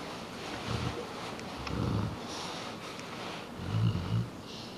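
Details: Truus, a pet Dogue de Bordeaux cross, three quarters Bordeaux and one quarter Rottweiler, gives deep snorting grunts in three short bursts, the last a double snort, over a steady background hiss.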